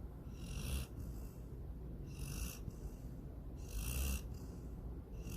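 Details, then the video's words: Female pet dog Sydney snoring softly while dreaming of chasing a rabbit and swimming in a lake: three airy, hissing breaths with faint low rumbles, spaced about one and a half seconds apart. "My SNORING DOG SYDNEY!"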